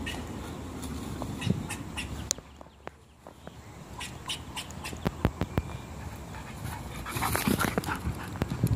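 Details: Dog searching for squirrels, with rapid breathy panting at about three puffs per second, broken by sharp clicks and brief faint whimpers, then a burst of louder breathing near the end.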